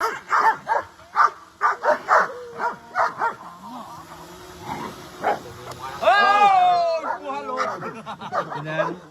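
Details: Dogs running and playing happily, barking in a quick uneven series of sharp barks for about three seconds. Talking and laughter follow, with a drawn-out whine-like voice over the people.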